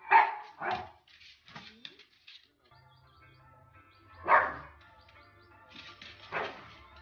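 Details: Pug barking in short bursts: two quick barks at the start, then single barks near the middle and end, over a faint musical hum and a sustained low drone.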